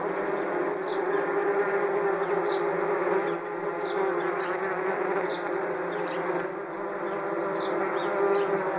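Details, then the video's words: A large swarm of angry wasps flies around their nest high in a tree on a hot summer day. They make a dense, steady buzzing drone with a low hum, and sparrows tweet in the background. "Wasps Nest - Sound Effect"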